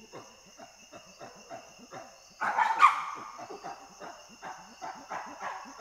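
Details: Chimpanzee panting: a soft, rhythmic series of short breathy pulses about every third of a second, broken by one louder, rougher burst midway, then fading back to quiet panting.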